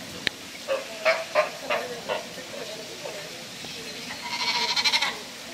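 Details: At Prague Zoo, a young sea lion gives a handful of brief, wavering bleats early on, then one longer, buzzier pulsed call. Visitor voices and hum fill the background.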